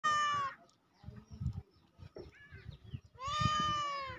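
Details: Domestic cat meowing: a short, clear, tonal meow at the start and a longer, steady, drawn-out meow near the end, with soft low thumps and rustling in between.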